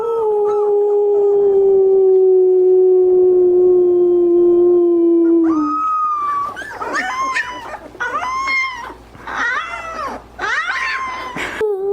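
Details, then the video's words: Puppies learning to howl: a single long, even howl drifting slowly lower for about five seconds, followed by a fast run of arched, yelping howls from more than one pup. "Cutest Puppies Learning to Howl"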